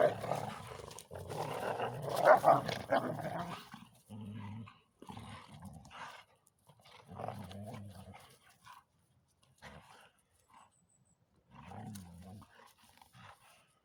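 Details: Belgian Tervuren will not give up its ball to a bull terrier cross playmate; a loud, harsh snarling struggle comes first, followed by separate short bouts of deep, pulsing growls with quiet gaps between them.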